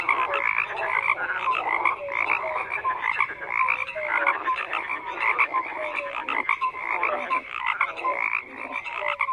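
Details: Dense massed croaking from numerous frogs, raspy pulsed calls running without pause, dotted with short clear piping notes at irregular intervals.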